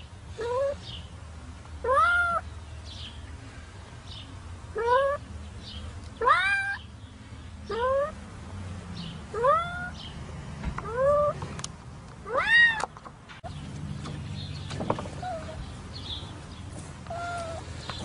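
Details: Cat stuck in set concrete cement meowing repeatedly, short rising cries about every one to two seconds, some louder and strained, with a low steady hum and faint shuffling in the background.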